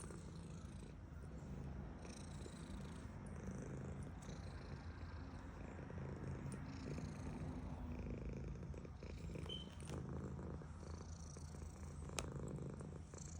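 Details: Female house cat purring during petting, an even, low throaty rumble sustained for the whole stretch, with soft rubbing of fur and an occasional small click.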